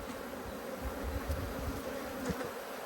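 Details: Angry honey bees swarm during a hive inspection, their colony upset at the disturbance. A dense, continuous low buzz holds steady, with rumbling handling noise underneath and a few sharp ticks.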